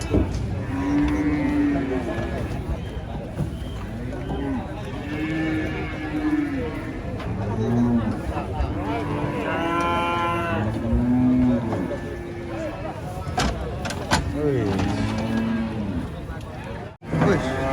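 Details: A rampaging giant female cow, being loaded beside a tree thought to be haunted, moos again and again in a string of short and long bellows, some rising, others dropping. Voices and clatter sound around it.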